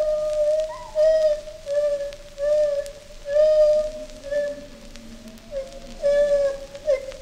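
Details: Captive agile gibbon at London Zoo in London, U.K., producing pure whistled notes in a continuous run of swelling hoots about once a second, with a softer, lower, sliding voice in the background.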